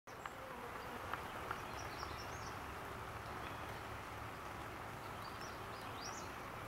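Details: Honey bees active on a rainy day at a farm: a low, wavering buzz of wingbeats under steady hissing rain, with faint high chirps of small birds in the distance.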